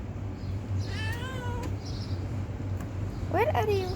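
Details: Hungry stray cat asking for food with two meows: a drawn-out falling cry, then after a pause a sharper meow that rises and drops, with low background rumble and a person coaxing it closer.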